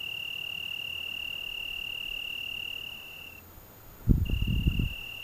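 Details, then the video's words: On a June evening in the Algarve, an Italian tree cricket trills continuously on one high pitch. The trill drops out briefly near the end while low gusts of wind rumble, then the song resumes. "Juni-Stimme des Abends am Algarve - Grilo da árvore"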